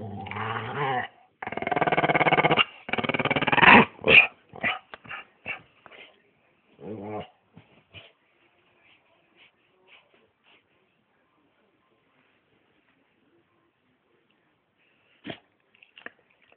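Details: Pet Staffordshire Bull Terrier making long harsh growling, grumbling bursts in the first four seconds, then a run of short sharp yips and whimpers that thin out and fade, with a few isolated clicks near the end.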